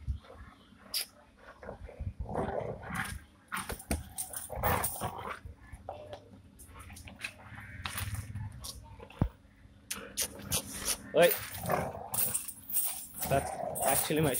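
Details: Rottweiler puppy playing roughly with its owner while tugging at a shoe: a long series of snarls, growls and short yelps, broken by pauses, becoming louder and denser toward the end.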